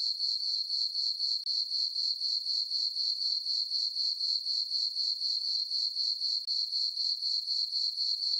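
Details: Summer-night crickets in a moonlit farm meadow keep up a continuous high-pitched pulsing chirp, regular beats roughly four per second, the only sound present.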